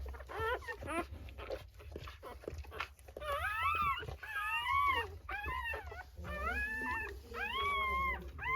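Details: Rottweiler pups at birth squeal in bright arched calls that climb and drop, about one a second and unevenly spaced, growing louder toward the end over a low steady hum.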